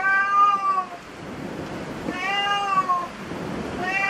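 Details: Inside a cat cafe, a cat gives three drawn-out meows, the first and second slightly falling in pitch, with a faint room hum between them.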